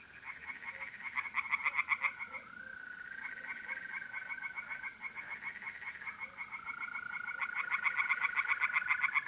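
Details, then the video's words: Several tree frogs call at once from a pond on an April night in north-east Italy, their overlapping pulsed rattles forming a rough, continuous chorus. Trilling mole crickets hum along steadily in the background. "relaxing singing tree frogs in pond"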